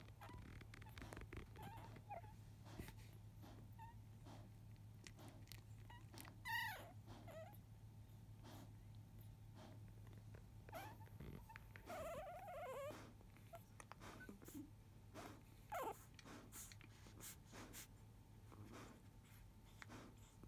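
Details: Field-line Labrador Retriever puppies, five days old, indoors just after 1 pm, resting quietly after nursing, their mother Biscuit nearby; two brief high, wavering squeals break a hushed room with a steady low hum and soft rustling.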